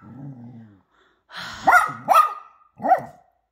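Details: Poodle mother with her puppies during family time, giving three short whining yelps with rising-falling contours after a soft low murmur, indoors with a person's voice nearby.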